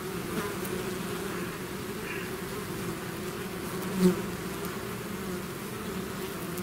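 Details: A swarm of bees leaving the hive: a low, even buzzing drone holding steady throughout, one bee zipping close to the microphone around the fourth second with a brief louder whine.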